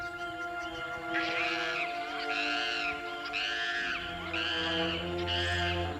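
Chacma baboon barking in alarm, harsh arched barks repeated about once a second over music.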